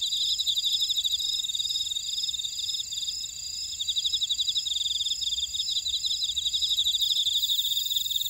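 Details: Insects calling in a buckwheat field in Ora-dong, Jeju City, South Korea: brisk pulsed chirps that dip briefly near the middle, plus bright sustained high-pitched trills from other callers throughout.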